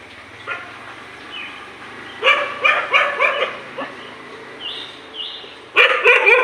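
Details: Fighting dogs barking in the morning: after a quiet start, a quick run of harsh barks, then a lull with a few thin whistled notes, then another loud burst of barks at the end.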